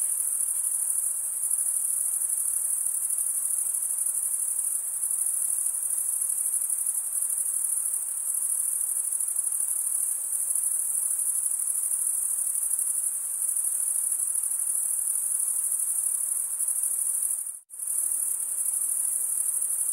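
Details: Continuous shrill cricket chorus of chirping males rubbing their wings together, a sustained high buzzy trill with rapid pulses, cut by one brief silent dropout near the end before resuming.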